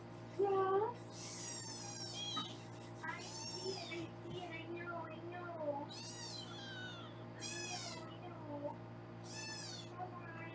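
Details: Foster kittens on a Los Angeles kitten cam, being weighed, meow again and again: loud, high, slightly falling cries every second or two, with a person speaking softly and a low steady hum behind.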